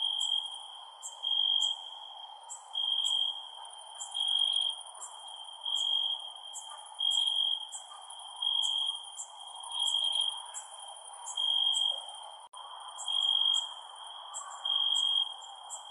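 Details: Crickets heard at night, with evenly spaced bursts of high, piercing trills repeating about every second and a half over a steady ringing tone, accompanied by sharp high insect clicks and a gentle rumble.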